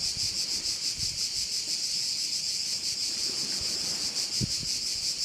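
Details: Crickets in a bay on Korčula, Croatia, sounding as a steady high-pitched shrill chorus with a fast pulsing shimmer, with soft low wind rumble and occasional faint thumps underneath.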